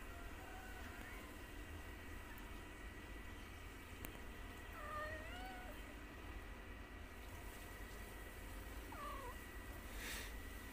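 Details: White cat with her kittens, the mother playing with her young at home; three soft, wavering meows spaced a few seconds apart, each rising then bending down, over constant low hum and room noise.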